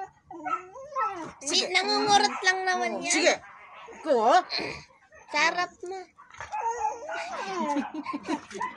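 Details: Arguing husky in a loud run of wavering, sliding, speech-like yowls and moans, pitch bending up and down in quick bursts with short gaps between.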